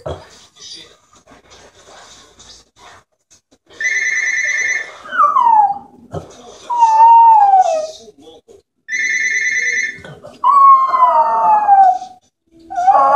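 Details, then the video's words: Jack Russell Terrier at home, annoyed by the home phone ringing, answers each electronic ring with a drawn-out howl that slides downward, two ring-and-howl bouts with quiet gaps. "JRT doesn't like the sound of phone ringing"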